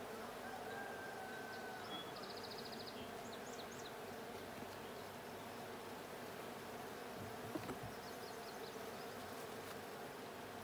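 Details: Many honey bees hum steadily in a blue hive opened for a check on 20 June 2022. The dense buzzing drone carries on throughout, while brief high bird twitters and a sharp knock near the end sound behind it.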